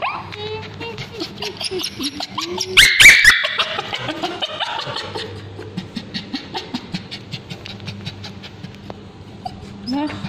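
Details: Male Bichon Frise with scabies cries out during ointment treatment on its tail, with wavering whines and one sharp loud shriek, then quieter repeated whimpers over speech and faint music.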